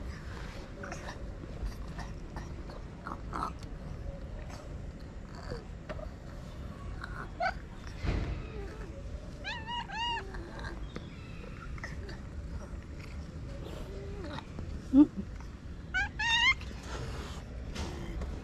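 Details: Orange cat, one of the strays fed daily, enjoying a massage; two short bursts of high, bright mews, one near the middle and another near the end, over steady background noise with soft human voices and small handling sounds.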